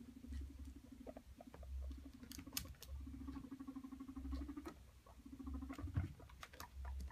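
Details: Courting male guinea pig with two females: repeated buzzy purring rumbles, each lasting one to two seconds, over low throbbing pulses and small rustling clicks in a small room.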